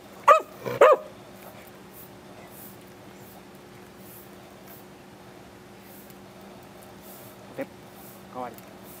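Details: Beagle named Root, indoors and excited while doing tricks such as sit and paw: two sharp harmonic barks near the start, then quiet with soft later yips, over a low room hum.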